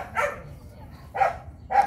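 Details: A litter of young Phu Quoc Ridgeback dogs kept at a Saigon kennel, just after their first vaccine shot, recorded 29 August. Three short, sharp, high barks come at uneven gaps over a quiet background.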